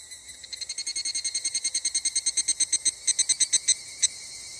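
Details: A Japanese cicada sings in a summer forest chorus, a fast run of sharp, metallic pulses that speed up, then slow and break apart.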